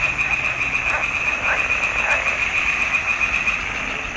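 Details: Frogs singing in a swamp pond in June 2021: a dense, continuous chorus of rapid croaking pulses forming a steady high buzzing band, with a few louder rising calls standing out near the start.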